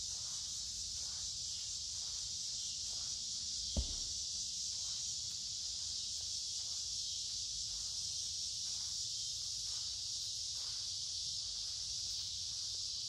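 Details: Steady, piercing buzz from a crowd of cicadas along a wooded creek in warm, humid midsummer weather, with a walker's footsteps pacing underneath and one sharp knock near the fourth second.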